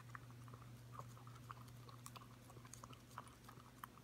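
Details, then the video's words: A five-month-old Corgi puppy licks a yogurt bowl clean indoors, giving quick, wet, clicking laps in an uneven stream, several per second, over a steady low electrical hum. "Corgi puppy licking yogurt"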